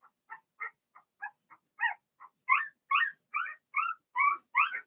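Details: Cavalier King Charles Spaniel puppies, Blenheim-coloured and a few weeks old, whimper in a puppy pen. Soft, spaced squeaks build into louder, sliding cries, roughly two to three every second.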